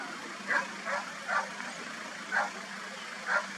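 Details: A roe deer (Capreolus capreolus) gives short, hoarse, dog-like barks about a second apart over a faint steady hum; recorded at Soto de Viñuelas on 04/10/2024.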